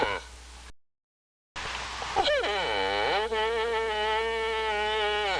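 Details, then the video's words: Antelope call after a brief silence: a quavering bleat that dips, rises and then settles into a sustained, nasal, steady tone lasting several seconds. "The sound of the antelope نزيب صوت الظباء"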